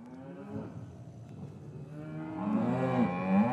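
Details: Cattle lowing in an English cattle yard on a winter's afternoon, calves separated from their mothers; a low drawn-out moo swells in the last second and a half, over faint earlier lowing and yard murmur.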